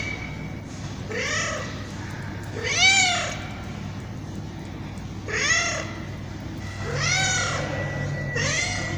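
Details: Tabby cat meowing: five drawn-out, arching meows with rich harmonics, rising then falling in pitch, spaced roughly every one and a half to two seconds over a low, steady background hum.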